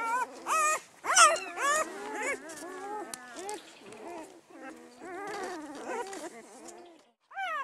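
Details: Great Pyredane puppies, newborn, spring 2016 litter of blue, Boston and panda pups, whimper and squeal almost continuously, loud peaked cries about twice a second early on, fading to softer overlapping whines, with brief human speech.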